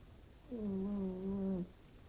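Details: Sleeping house cat snoring like a person: a single steady harmonic tone lasting about one second, faintly wavering, against quiet room hiss.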